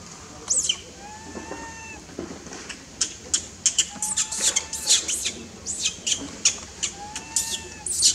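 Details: Newborn baby monkey, unhappy at being held back by its mother and kept from playing, gives drawn-out, slightly arching tonal cries alongside a stream of sharp, high squeaks and chirps.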